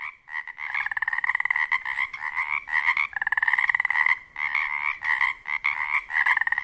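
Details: A dense chorus of Pacific chorus frogs (Pacific tree frogs) at a wetland near a lake on Washington's Olympic Peninsula at dusk in spring, mating season; many males give overlapping raspy two-part croaks repeating rapidly.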